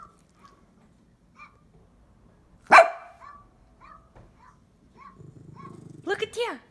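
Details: Household dog reacting to sound effects with one loud, sudden bark amid quiet stretches, soft electronic beeps, and a voice near the end.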